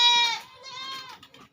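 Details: Goat among about fifteen kept in a night shed on a West Bengal farm, India: a long, quavering, high nasal bleat, loudest at the start, then dipping and swelling again before trailing off, with quieter rustling behind.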